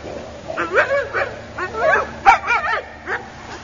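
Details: Sparticus, a young Akita puppy, lets out a run of high, wavering yips and whining yelps, about eight in under four seconds, each bending up and down in pitch, over a faint steady hum.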